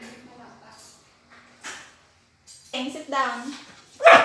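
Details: Border Collie vocalizing during a food review over her favorite chicken: soft low whines, then a burst of harmonic yowling talk and a sharp yip at the end, with a person's voice nearby.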